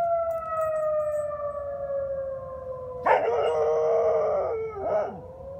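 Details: Dog named Swiffer howling in reaction to a tornado siren test: a steady, slowly falling siren tone, then a wavering, rising howl joins in over it for about two seconds before fading.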